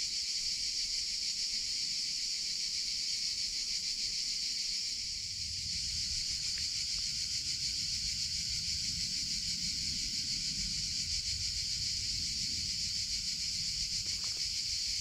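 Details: Summer cicadas keep up a constant piercing buzz throughout, while a faint steady tone and a soft low rumble enter about a third of the way in and continue beneath the chorus.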